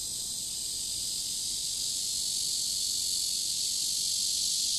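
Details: Summer cicadas by the river, dated 23.7.15, giving a steady, intense high buzzing hum that swells slightly toward the end.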